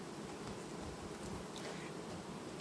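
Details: Honey bee colony in August, 18 August 2019, quietly replacing its queen; a steady, dense buzzing hum of many bees fills the recording evenly, with soft rustling and no other clear sounds.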